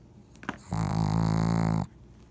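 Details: Paguzo the pug lets out one loud, steady, buzzing snore lasting just over a second, deep and droning with a strong low hum, preceded by a short snuffle.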